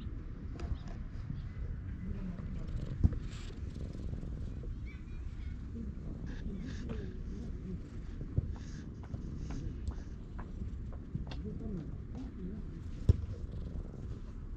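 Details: A stray cat in a park purrs contentedly while being stroked, filmed on a GoPro; a steady low rumbling purr runs throughout, with faint rustling and a few sharp clicks.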